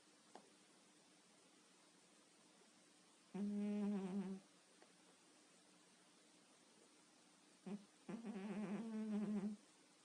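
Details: Cat asleep at night, quiet surroundings; two low buzzing snores about five seconds apart, the second longer and rougher, preceded by a faint click.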